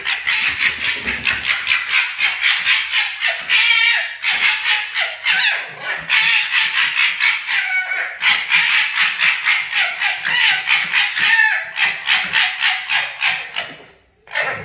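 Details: Fighting foxes, two of them, producing a rapid stuttering chatter of harsh clicks and cackles, about four per second, with occasional louder screeching swells, ending in a sudden short drop.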